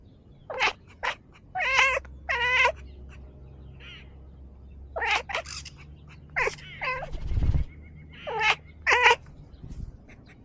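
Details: A talkative house cat delivers around ten short, bright meows in scattered bursts across ten seconds, some paired in quick succession, with a single dull thump midway and a steady low background hum.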